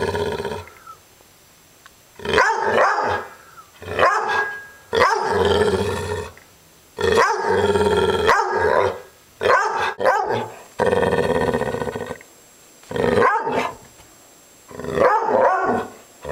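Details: Maggie, a pet dog described as upset, gives a run of harsh vocal bursts, growling and barking in uneven bouts separated by short silences over about sixteen seconds.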